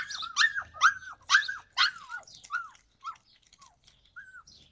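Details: A Yakutian Laika in July 2020 gives loud arched yelps that come quickly at first, then thin out into quieter, more widely spaced cries.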